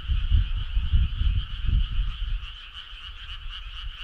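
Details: Many frogs trilling together on a summer night, a constant buzzy two-toned chorus. Heavy low rumbling thumps dominate the first half, then ease off, leaving the chorus clearer.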